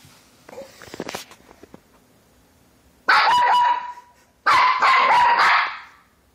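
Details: Puppy learning to bark gives two long, harsh, noisy barking bursts of about a second each, with a steady squealing tone running through them, after soft clattering and a few brief murmurs.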